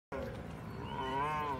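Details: A Siberian Husky at a dog park "lecturing" another dog gives a drawn-out, moaning 'woo' that swells and lifts in pitch near the end.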